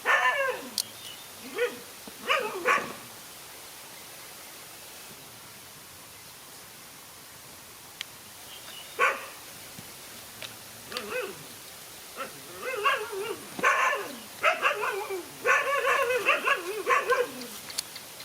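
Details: Dogs in a fight, a lone dog facing two male dogs: bursts of harsh barks and yelps, some with wavering whining tones, come in clusters near the start and more densely in the second half, with a quiet stretch in between.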